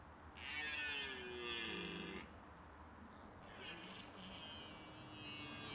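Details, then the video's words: Red deer stag during the rut at the end of September, when mature stags vie for hinds: two long, hoarse, harmonic roars, the first about two seconds and the second fading out, with faint high bird chirps above. "Red Deer rut - Hertenbronst - Cervus Elaphus - Edelhert"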